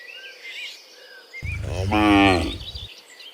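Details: One long, rising-then-falling moo from a herd of dozens of cows walking home to the pen from the fields in the afternoon, preceded by soft bird whistles and a low rural rumble.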